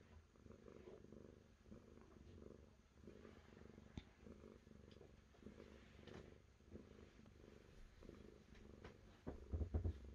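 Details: Cat purring steadily indoors, a low rumbling drone with soft rhythmic pulses rising and falling with each breath, and occasional faint clicks and rustles near the end.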